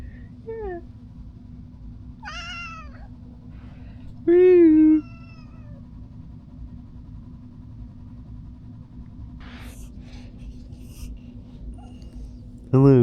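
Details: Domestic cat hiding under a chair while being played with makes a series of short meows. One louder, longer meow comes in the middle and another sounds at the very end. Quiet handling noises and a woman's voice are heard between them.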